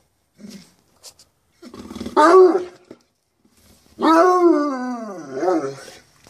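A bloodhound gives a short grumbling yowl, then a long, wavering, falling howl rich in harmonics.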